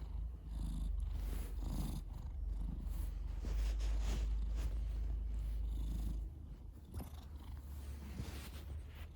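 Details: Male pet cat snoring in its sleep, a continuous low rumbling purr-like drone that stays steady for about six seconds, then softens, with faint breathy rustles over it.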